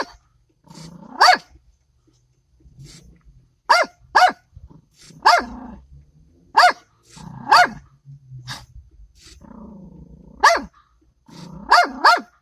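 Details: Small dog, possibly a Yorkie or dachshund, barking at a statue in the New York area: sharp, high, harmonic barks singly and in quick doubles, roughly every one to two seconds, with soft whines and a low car-like rumble between.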